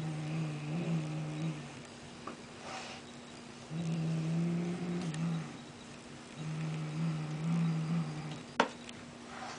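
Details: Female house cat showing toy aggression, refusing to let go of a toy, giving low, steady growls in three drawn-out bouts of one to two seconds each, with a sharp knock near the end.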